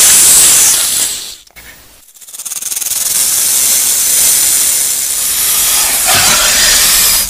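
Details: Rattlesnake sounding its rattle: a loud hissing buzz that fades almost to nothing around the second-and-a-half mark, then builds back into a steady, harsh whir.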